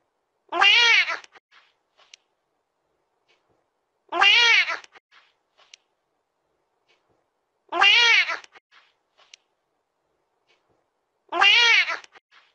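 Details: A cat gives four long, wavering meows at a steady pace, one roughly every three and a half seconds, with soft ticks in the quiet gaps.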